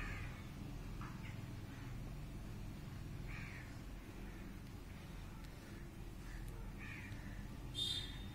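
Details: Scattered kitten mews, brief thin cries at irregular intervals with quiet gaps between, ending in a sharper, higher squeal, over low rumbling background noise.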